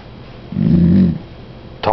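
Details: Pet dog named Star begging for chicken at the table, giving a low, drawn-out grumbling moan lasting about two-thirds of a second, with a person talking to her before and after and a short sharp click at the end.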